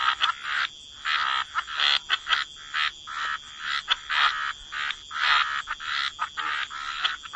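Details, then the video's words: Croaking frogs in a waterside wetland, distinct raspy croaks about twice a second, some doubled, from more than one caller over a soft background chorus. "Frog Lullaby: Relax to the Sound of Croaking Frogs"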